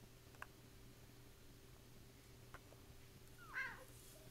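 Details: Siberian kitten, an indoor male pet in a restored house in Longmeadow, Massachusetts, playing, scratching and biting; one short harmonic meow rising then falling near the end, a few soft taps before it, steady electrical hum beneath.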